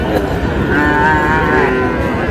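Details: Bull calf, Friesian or crossbred, at Raniganj cattle market on 10 August. A moderate, wavering moo rises out of dense market noise and nearby voices in the middle of the clip.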